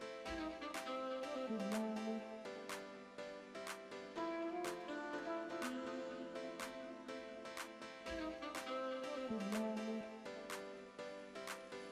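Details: Instrumental music with bowed strings and steady percussive beats; no animal sounds are heard.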